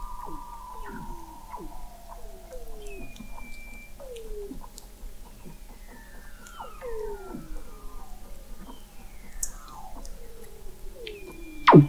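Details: Weddell seals under thick sea ice in McMurdo Sound, Antarctica, recorded November 2017 by an observatory 21 m below the ice: many overlapping descending whistles and sweeping trills, chirps and pulses, with a steady low hum throughout.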